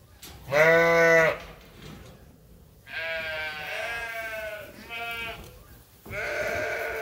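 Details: Sheep and lambs on Ewetopia Farms during lambing season, waiting for feed at daily chores: one loud harmonic bleat lasting almost a second, then softer overlapping bleats from other animals in the flock.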